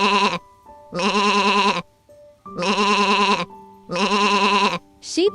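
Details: Sheep in a children's animal sounds compilation giving four loud, evenly spaced bleats, each about a second long with a strong quavering tremble, separated by short gaps, with soft music notes between them.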